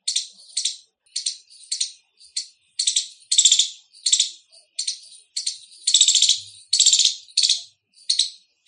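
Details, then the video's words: Squirrel, described as Indian, giving loud chirps: bright, rasping high bursts in uneven groups, some longer and fuller, others short and clipped, over near silence. "Loud Squirrel Chirping sound | squirrel sounds | गिलहरी की आवाज |।गिलहरी की बोली।"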